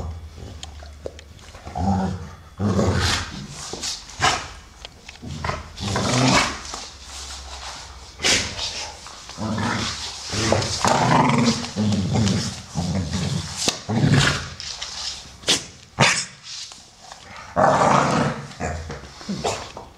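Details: Play between two American Staffordshire Terriers, a brown male aged 12 and a grey female under two; repeated short growls and huffs alongside loud scrabbling and bumping noises throughout.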